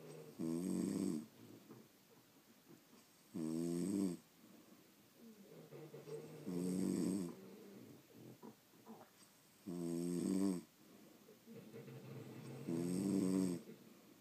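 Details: Sleeping French Bulldogs snoring indoors: five loud, rasping snores about every three seconds, each a harmonic-rich buzzy burst lasting under a second, with quieter wheezy breaths between.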